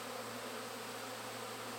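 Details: Tens of thousands of honey bees flying close to the hive supers, busy with honey and not stinging: continuous thick buzzing hum, even in loudness, with a steady low drone beneath.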